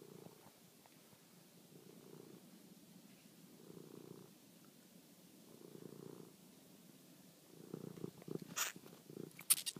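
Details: Toby, a pet cat, at night while chasing and killing a mouse: a low rumbling purr rising and falling in slow waves about every two seconds, ending with sharp clicks and rustling.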